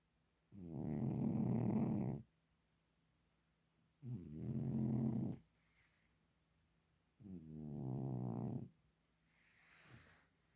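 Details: Sleeping domestic cat snoring in slow, rough, low-pitched breaths, three strong ones lasting about one and a half seconds each and a fainter fourth at the end, spaced a few seconds apart in a quiet setting.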